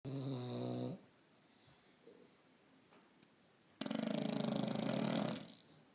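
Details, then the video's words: Two English Bulldogs snoring indoors: a loud, buzzy, harmonic snort lasting about a second, a quiet pause, then a longer rough, raspy breath of about one and a half seconds. "English bulldogs snoring"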